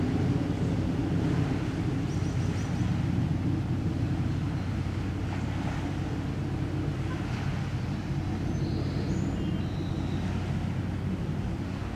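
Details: Steady low rumble of wind or engine noise throughout, with no animal calls.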